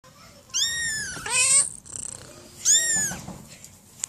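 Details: Domestic cat meowing indoors: a few drawn-out, bright meows with falling tones, separated by short pauses, and a person's voice imitating the meows nearby.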